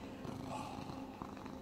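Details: Domestic cat purring while lying upside down and being petted during morning pampering at home in Cooktown, Queensland, Australia; a soft, low, continuous rumble, faint and steady.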